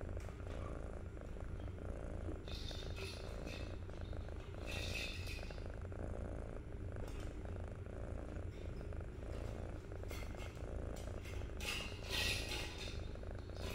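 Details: Continuous low purring from a 63-day-old kitten, a steady rumbling drone with scattered rustles and soft scratching sounds over it.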